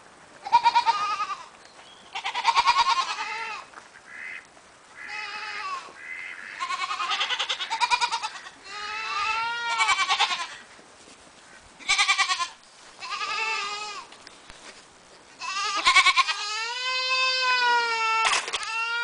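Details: Cameroon goats bleating; a series of wavering, nasal bleats, some rising and falling, several animals overlapping, ending with a long drawn-out quavering bleat.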